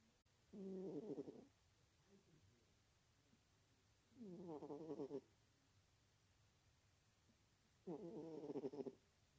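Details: Sleeping domestic cat named Dagies, a sleepy female, snoring: three rhythmic, low, rasping breaths about every three and a half seconds, each lasting roughly a second, with quiet pauses between them in a still room.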